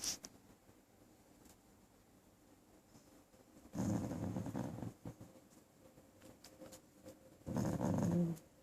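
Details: Dirty dog growling in two low, rumbling bursts of about a second each, separated by several seconds of quiet indoor room noise with faint clicks.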